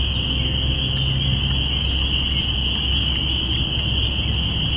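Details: Spring peepers calling in early spring, recorded binaurally on April 5, 2017: a dense, unbroken chorus of high, shrill peeps merges into one steady ringing band, over a constant low rumble.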